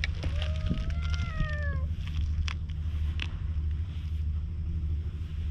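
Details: Cautious stray cat on a seaside road, recorded on a GoPro as a cat brush is offered. One clear meow over a second long slides gently downward at the start, followed by rustling and a heavy low rumble.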